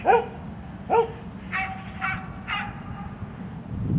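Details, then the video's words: Old dog Misty barking in Birkenhead Park on 10 July 2013: two loud, sharp barks about a second apart, then three fainter, shorter barks in quick succession, over a steady low rumble. "old misty barking"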